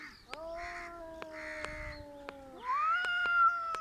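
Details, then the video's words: Two domestic cats squaring up to fight: a steady, low moaning yowl holds for about two seconds, then jumps abruptly into a louder, higher, strained wail, over scattered sharp ticks. "cats are trying to fight but failed"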